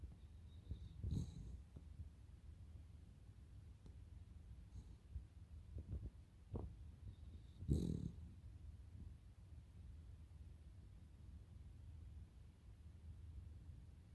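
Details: Sleeping Cavalier King Charles Spaniel Totoro gives faint low snores, a continuous deep rumble with two louder snorty bursts near the start and middle.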